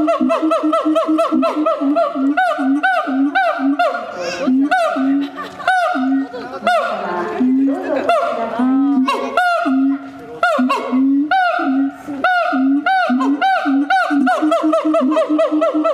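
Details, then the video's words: Siamang calling at night in a continuous, dense chorus of rapid rising barks and whoops, overlapping and unbroken throughout, loud and harmonic. "suara siamang di malam hari/the sound of gibbons at night"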